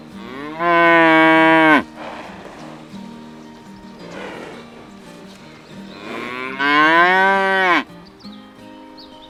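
Two loud, drawn-out cattle moos, each rich and nasal, rising then sagging at the end.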